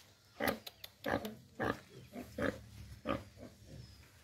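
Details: Pig farm recording of pigs giving short, rough grunts with a harsher, brighter edge, roughly every half second in uneven bursts, over a low hum.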